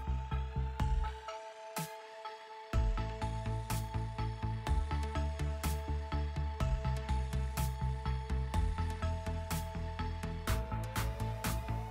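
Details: Loud electronic music with a pulsing bass beat, sharp percussive hits and a ringing synth line, with no animal sounds.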